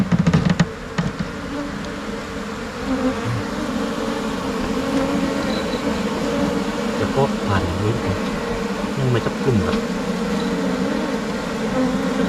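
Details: Thai Asian honey bees swarming and settling into a new hive box: a steady, low droning buzz with layered tones, broken by a few sharp knocks near the start and brief rising whines midway.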